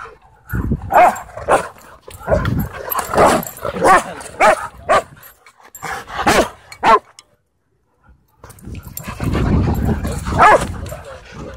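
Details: Dogs let loose in rough play at a dog park: bursts of loud barks and yips come in quick clusters, then about a second of silence, followed by sustained growling and scuffling.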